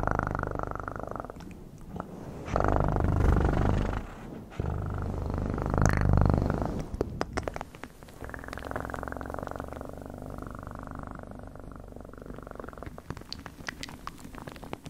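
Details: Close, continuous domestic cat purring for ASMR, a deep vibrating rumble pulsing rapidly in long breath-length phrases that swell louder and fade, with scattered soft clicks and rustling.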